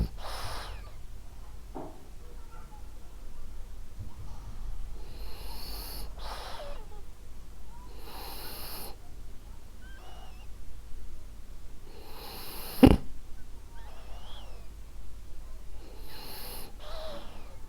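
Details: Ariva, a female French Bulldog, sleeping and snoring softly: hushed, breathy inhale-exhale bursts roughly every two seconds, with a faint rasp and one sharper snort near the end.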